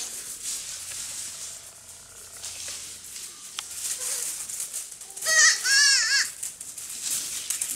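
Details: Baby goats playing and jumping on a farm; after several seconds of rustling and crinkling, one high, quavering bleat wavers up and down for about a second, then the crackly background noise resumes.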